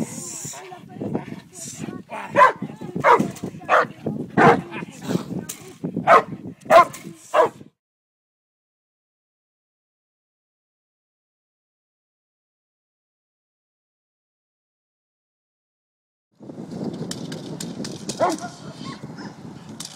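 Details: Cane Corso named Haus at a three-day French Ring seminar in Montreal gives a rapid string of sharp barks for about seven seconds. Silence follows, then a stretch of muffled background noise.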